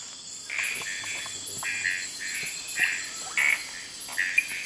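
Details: Frogs at night in Kubah National Park give a busy run of short grating notes, some paired, growing denser toward the end, set against a continuous shrill insect hum.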